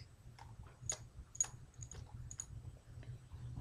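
Sharp, uneven clicks and ticks over a low rumble, with no clear animal call.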